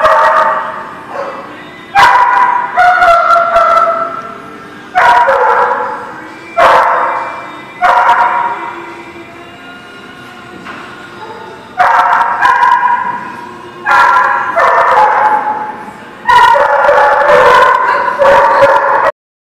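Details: Dogs barking at a kennel or dog facility on 2 February 2019: a steady series of loud, tonal barks and yelps in bursts, a brief quieter pause near the middle, then rapid barking resuming to the end.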